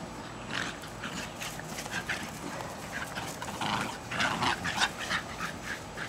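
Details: Two young Jack Russell Terriers, just over a year old, tugging enthusiastically in a back yard in Lenexa, Kansas, on 14 July 2008; rough, noisy growl bursts come in irregular, quick runs with scuffling between them.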